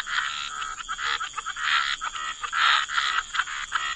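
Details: Frogs in a wetland give broad, rasping croaks in quick overlapping pulses, several per second, against a continuous thin high tone.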